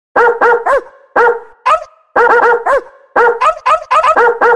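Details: American Bully, a pocket-type stud male in Oaxaca, barking in quick bursts of two to four harmonic barks, pausing roughly a second between groups, some barks ending in a rising-falling yelp.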